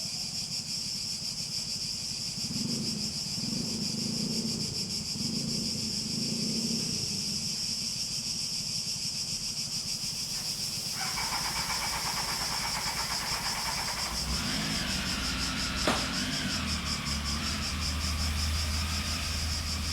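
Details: Cicada chorus outdoors, a continuous high buzzing whine running throughout, while low murmuring tones appear early on and a deeper rumble with a brief sharp click joins in the second half.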